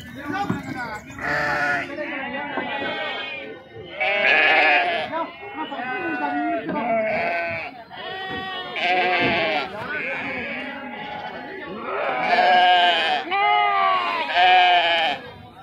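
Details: Sheep being unloaded at the Pebbair sheep and goat market (santha, mandi): repeated quavering, overlapping bleats in bursts from several animals, with human voices talking throughout.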